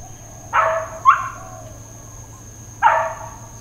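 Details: Uncontrolled dog barking at Hawaiian Paradise Park, Hawaii, September 2, 2024 (Labor Day): a quick pair of harsh barks followed by a single bark after a pause, backed by a constant high-pitched insect drone.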